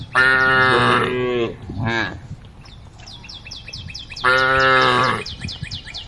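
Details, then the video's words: Cows from a herd roaming along a road, calling to the herd: two long, loud harmonic moos open and close the passage, with a shorter rising moo between them, and rapid high chirps running in the background. "the sound of cows calling the herd"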